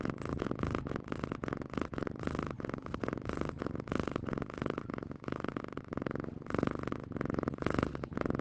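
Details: Domestic cat purring: a steady, dense, rumbling buzz of rapid pulses that runs without a break through the whole stretch.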